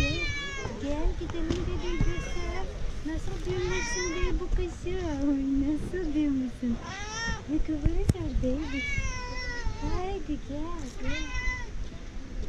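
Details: Mother cat recognizing her owner from a distance: a long series of wavering meows and trills, some overlapping, over constant low outdoor rumble and occasional speech.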